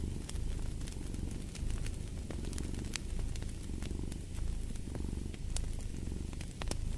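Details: Steady low purring of a cat in rhythmic breathing waves, a brief dip near the end, against a background of snapping, crackling fire in a fireplace.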